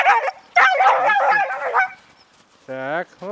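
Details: Sobol, a male stud dog, pressing his attentions on a visiting female named Taina, who first lets him near and then fights him off; a rapid run of harmonic, wavering yelps and barks, a pause, then one steady droning whine.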